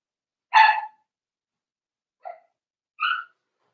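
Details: In a puppy pen, Daisy's four-week-old Cavalier King Charles Spaniel pups give one loud ringing yelp, followed after a pause by a small squeak and a thinner, higher yip.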